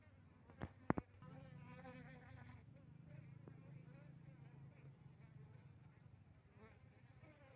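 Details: Asian honey bee (Apis cerana) colony, part of an experiment with Apis mellifera drones, recorded on 6 November 2021 in Tingkem Bersatu, Bener Meriah, Aceh. Sharp knocks open a continuous low, even buzzing drone that persists throughout.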